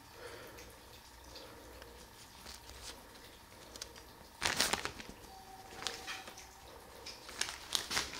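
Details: Quiet indoor room with soft rustling and crinkling, a steady faint hum, and a few sharp tearing bursts.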